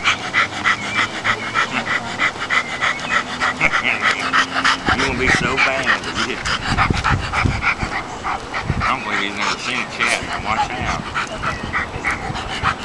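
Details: English Springer Spaniel named Judd, being evaluated indoors, pants in fast steady breaths about three per second throughout, while people talk over and around it with occasional light handling noises.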